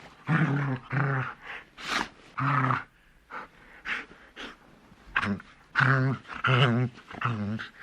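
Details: A large dog growling in short, rough bursts about a second apart, each a low, throaty rumble with a wavering, snarling edge. Some bursts are louder and harsher, separated by quieter breathy gaps.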